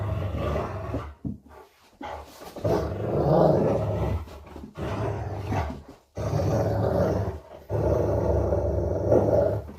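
A Rottweiler growls in low, rumbling bursts during play, with short pauses between them.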